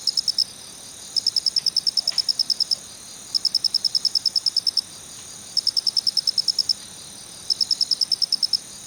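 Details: Repeated 'kichi-kichi' chirping of a male black cricket, Phonarellus ritsemai: high, crisp pulse trains of roughly ten clicks each, recurring every one to two seconds over a faint steady hiss.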